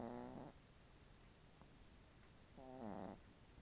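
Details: Sleeping dog snoring, recorded indoors on an iPhone: two half-second rasping, buzzy snores about two and a half seconds apart, with quiet room hiss between them.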